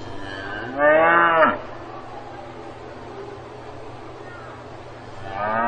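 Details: Farm cow: a short, loud moo of under a second, falling at the end, then several seconds of quiet background hum before another moo starts at the very end.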